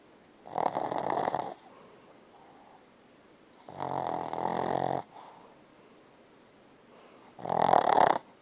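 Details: Boston Terrier Bella snoring hard while dreaming: three long, raspy, buzzing snores about three seconds apart, with faint breaths in between.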